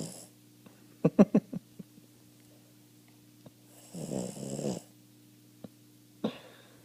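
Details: Half-asleep Boston Terrier snoring indoors: a few quick snorting clicks, then one long rasping, breathy snore lasting under a second and a brief snort near the end, over a steady low electrical hum.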